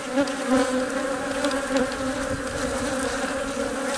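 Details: Honey bee hive hum as the queen lays eggs under the care of worker bees; a continuous buzzing drone with a few small swells in loudness in the first two seconds.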